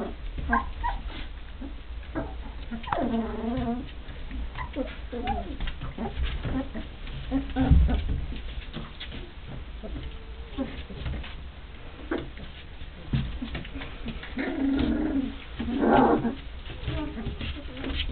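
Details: Nearly three-week-old Rhodesian Ridgeback pups from Duscha's second litter, born 1 November 2009, sizing each other up while tussling; wavering whiny squeals early on and a louder cluster of yelping near the end, with constant scuffling and soft murmuring.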